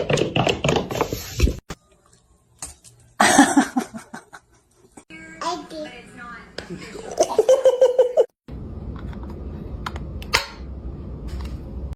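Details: A child talks and laughs in a small room with faint music, no animal call heard.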